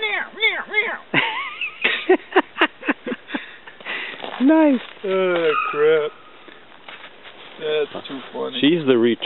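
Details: Hounds Gurdy and Magnum on a rabbit hunt in southern New Hampshire, February 5, 2012, alongside Black Lab Marley; drawn-out, wavering bays rise and fall in bursts between a man's voice praising the dog outdoors.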